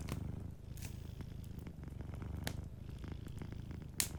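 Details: Gentle purring from a cat asleep near a fireplace: a low, throbbing rumble with a regular pulse, accompanied by a few bright crackles of burning wood.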